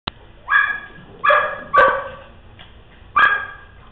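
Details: Dogs at play giving four sharp, ringing barks spaced through the moment, each a short harmonic burst, the second and third close together, with quiet gaps between.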